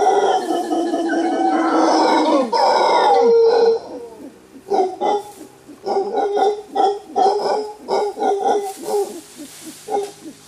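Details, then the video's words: An alpha male mantled howler monkey, in a large troop moving through thick bamboo forest in Costa Rica, gives a deep, rasping warning roar, breaking into rhythmic grunting pulses. "Wild Howler Monkey Sound: Hear the Rare Warning Roar of an Alpha Male"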